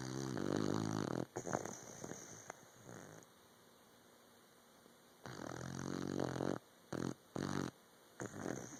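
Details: Puppy fast asleep, snoring in uneven bursts. A rattling, throaty snore opens, then a quiet gap, then a longer grating breath followed by short choppy snorts.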